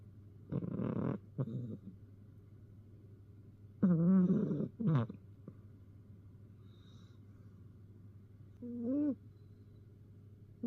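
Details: A house cat gives up and naps, snoring contentedly; short rough sounds and a clear wavering meow near the middle, then a brief rising call toward the end, with a low background hum throughout.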